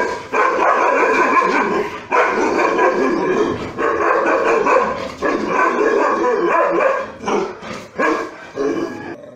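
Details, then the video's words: Aggressive Rajapalayam dogs, milk-white hunting dogs from the deep south of India used to guard farm fields, give harsh, dense, overlapping barks and snarls almost without pause, with brief dips near two, four and five seconds. "Aggressive Rajapalayam dogs from South india"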